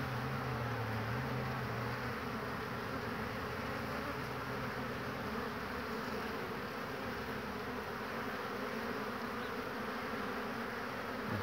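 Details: Honey bees at a busy hive on 22 March 2019, returning in great numbers with pollen; a brief wavering buzz of a passing bee opens, followed by a thick, even drone of the swarm at the entrance.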